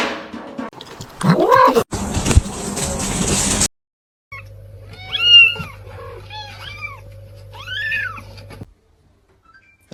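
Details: Kitten meowing: a run of short, arched, falling meows spaced about a second apart over a steady low hum, following a loud noisy burst at the start.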